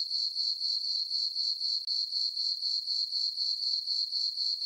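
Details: Crickets on a calm summer night in a full-moon farm meadow give a continuous high-pitched chirping, rapid regular pulses with a short gap near the middle.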